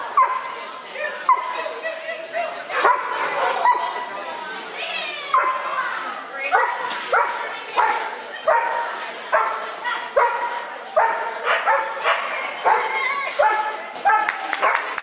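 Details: Clumber Spaniel barking in rapid, repeated yelps, about one burst every second for fifteen seconds. The bursts are high and ringing, with whining tones between them and a person talking in the background.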